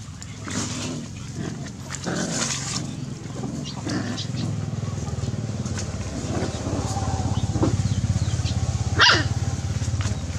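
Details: Puppies play-fighting give scattered short yaps and snarls, one sharp yelp standing out near the end, over a continuous low droning hum like a running engine.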